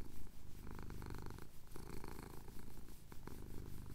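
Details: Male cat purring contentedly during a chin scratch as the sun rises over the Cotswold hills, recorded on a Tascam DR-07X; thick low vibrating drone with pulsing breath cycles and occasional soft clicks.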